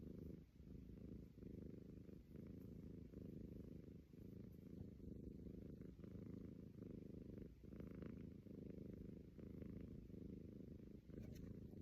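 A Persian cat snores with a low, rumbling rasp that rises and falls with each slow breath.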